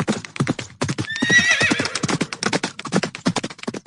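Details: A horse gives a brief, shrill, wavering whinny near the start, set against a steady run of sharp hoof clip-clops throughout.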